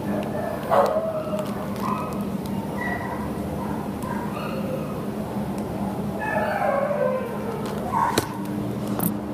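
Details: Busch, a terrier up for adoption, gives short, high whimpers and yips scattered across the recording, some rising and falling, over a steady low hum with a human voice and a few knocks in the background.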